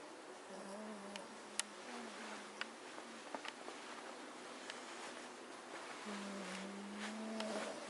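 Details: Magyar Vizslas asleep as a family, snoring: a low nasal hum that holds for about a second, fades, then returns longer and slightly rising near the end, over a quiet room with small ticks.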